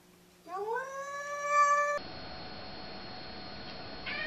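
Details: Cat in a fight, giving a single rising then level yowl lasting about one and a half seconds, followed by an abrupt cut to steady background noise.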